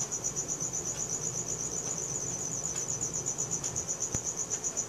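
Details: Night-time cricket chorus captured with a Samsung Galaxy S4, a shrill high chirp throbbing in quick regular pulses, about four per second, over a quiet low rumble.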